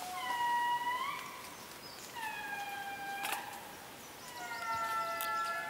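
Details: Wild indri lemurs in the Périnet reserve, Madagascar: loud, long wailing tones that slide smoothly up and fall away, several drawn-out phrases in succession with overlapping voices, and a few sharp clicks behind.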